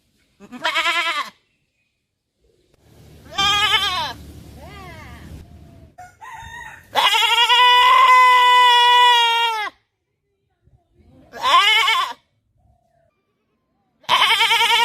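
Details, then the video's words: Goat giving several bleats of varying length, including one long, steady, strained bleat of nearly three seconds, with a stretch of rough rustling noise and shorter wavering calls around it. "Bakre funny sounds"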